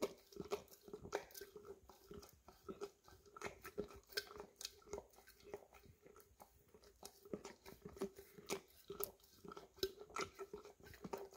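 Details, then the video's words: Indoors, a Golden Retriever of the English cream type licks peanut butter from an almost empty jar: rapid, rhythmic tongue smacks about three a second, each with a slight hollow jar resonance. Recorded on a Samsung Galaxy S10e. "Dog Licking Peanut Butter Out of Almost Empty Jar - Golden Retriever"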